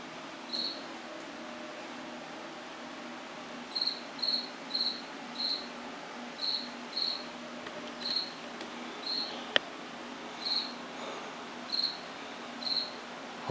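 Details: Cricket chirping indoors in a washroom: about a dozen short, high, pulsed chirps at irregular intervals of roughly half a second to a second, after a brief opening pair, over a steady low room hum.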